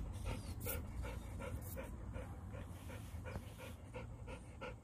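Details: Leonberger during play fighting with a Labrador, Montana and Lola: quick, rhythmic panting, about two to three breaths each second, steady over a low background rumble.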